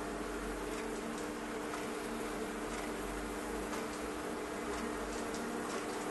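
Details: Bees by the thousands invading a fireplace stove give a continuous droning buzz, unbroken and even, with occasional soft clicks over the hum.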